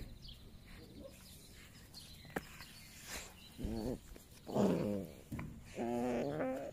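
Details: Six-week-old Rhodesian Ridgeback puppy from a VDH/FCI litter, enjoying a play tunnel, makes a few faint, arching whines in the last three seconds over soft background hiss.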